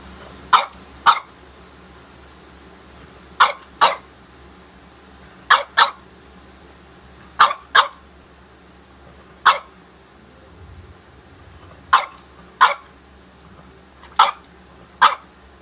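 A French Bulldog gives sharp, broadband barks, mostly in close pairs, every two to three seconds.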